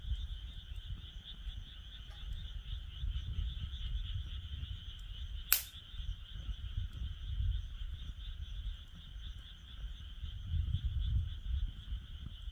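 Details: Frogs calling beside a campfire in a fire pit: a steady, high, faintly pulsing trill runs throughout, with one sharp crackle from the burning wood midway and a low rumble of wind underneath.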